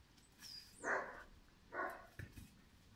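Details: Two sharp, full barks about a second apart come from Pirat, a five-month-old German Shepherd puppy for sport or police work. A brief high chirp sounds just before the first, with soft thumps afterwards.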